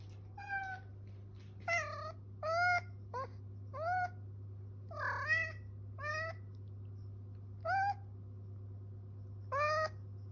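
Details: Blind female cat calling for her mother indoors: about nine clear harmonic meows, many rising then falling, spaced one to two seconds apart, over a steady low hum.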